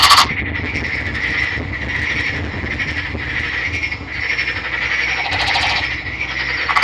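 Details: Male Nagoya Daruma pond frog with green colouring, kept after being caught by net in a river, produces a steady chain of buzzy pulsed trills with a grating burst midway.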